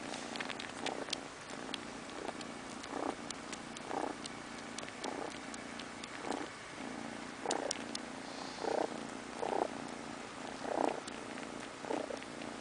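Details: Domestic cat purring steadily while settling down to sleep indoors; a low continuous rumble broken by brief louder breathy pulses roughly every second, with faint ticking in the background.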